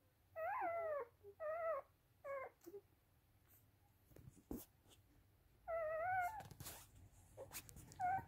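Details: Rough Collie puppies from a kennel litter in Vienna, Austria; short quavering whines in separate bursts, a few clicks and rustles between them, then a longer wavering whine near the end.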